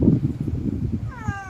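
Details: A hungry cat that has not been fed lets out a short, clear meow near the end, its pitch sliding gently downward after a stretch of muffled background rumble.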